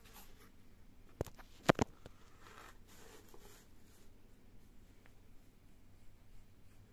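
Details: A quiet room with a few sharp taps and scratching rustles, no animal voice.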